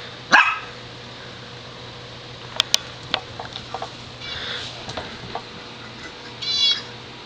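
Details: A five-month-old Shetland Sheepdog indoors barks at a small dog passing the front window. One loud, sharp bark opens the scene, followed by quieter clicks and taps and a brief high yelp near the end, over a steady low hum.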